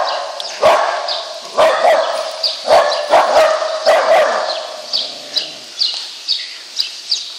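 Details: Lhasa Apso Jacky herding cows out of the barn by itself, barking fiercely when they do not follow; a run of sharp, yappy barks about one per second, fading to quieter barks near the end, with barn hiss behind.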